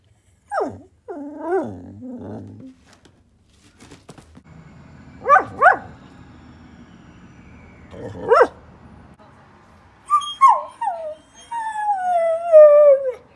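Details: Church, a chatty Bedlington Whippet Lurcher pet dog, vocalizes in a string of short whiny yips and grumbles, with gaps between bursts, ending in long wavering whines that rise and fall in a drawn-out, howl-like moan.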